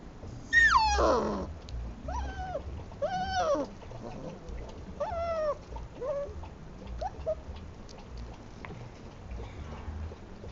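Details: Šarplaninac puppies whining: a high, loud opening whine sliding downward, then a series of shorter arched whimpers rising and falling, gradually fading, over a low steady hum.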